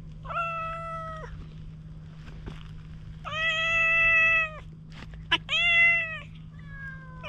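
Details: A highly wary stray cat, approached with a cat grooming brush and recorded on a GoPro HERO8, gives three drawn-out, tonal meows with a steady, slightly falling pitch, then a faint fourth, over a constant low electrical hum.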